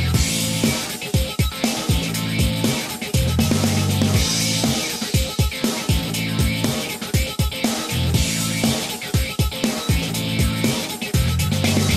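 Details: Loud pop-funk music with a steady driving beat and heavy bass fills the recording, with no animal sound heard.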